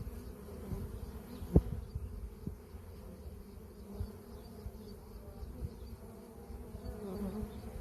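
Honey bees give a steady, low droning buzz, broken once by a sharp knock.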